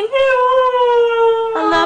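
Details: Five-month-old female Siberian Husky "singing" along as her owner sings a Whitney Houston song, holding a long, smooth howl that slowly sinks in pitch.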